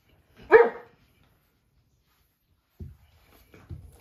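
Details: Two American Bulldog puppies, a white male and a female, born August 15 to Mr. Lucky and Abby, at play indoors; one short, sharp yelp rises and falls, followed by a few faint soft bumps and quiet whimper-like sounds.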